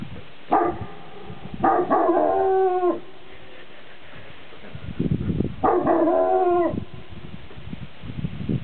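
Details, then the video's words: Shepherd dog standing on a mountain, baroo-ing to hear its echo off the mountain tops; three drawn-out harmonic howl-barks, the first brief, then two longer ones about a second each, separated by quieter pauses. "Shepherd Baroo-ing"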